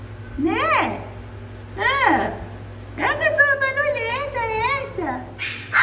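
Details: German Spitz puppies giving high, arching whines that rise and fall, then a long wavering drawn-out howl lasting about two seconds, with a few shorter cries at the end; faint indoor background.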